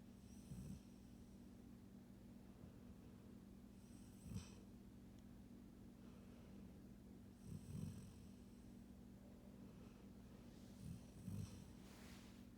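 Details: A female Golden Retriever snores softly as she falls asleep, low rumbling breaths repeating every three to four seconds.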